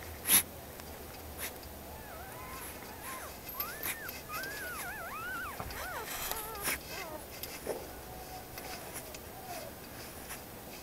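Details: Puppies of a guard dog whine outdoors in high, wavering, arched cries that rise and fall in quick succession through the middle of the recording. Scattered clicks and scraping sounds are heard around them.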